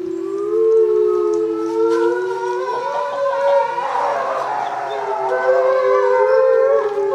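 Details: Timber wolves howling together on cue for a short time after the pack leader's squeaks; several long, overlapping, smoothly gliding howls form a loud siren-like chorus, pitches rising and falling against one another throughout.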